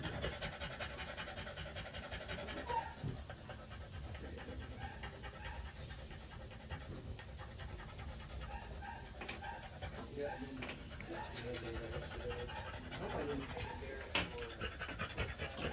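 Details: Panting from a female French Bulldog just after trans-cervical insemination; steady, fast breathy huffs continue throughout, over a low hum and a few soft clicks.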